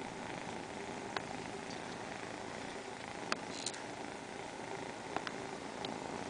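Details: A row of four pet cats purring in unison, an even rough droning hum without pause, punctuated by a handful of brief clicks and ticks.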